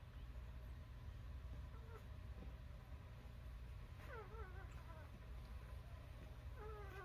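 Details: Newborn puppies squeal in short, wavering cries that dip in pitch, heard near two, four and six and a half seconds, above a constant low rumbling hum.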